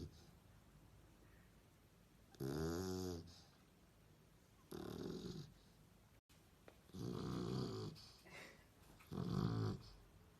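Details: Four loud, gravelly snores from a dozing dog, with long quiet gaps between the first ones and closer, rougher breaths toward the end.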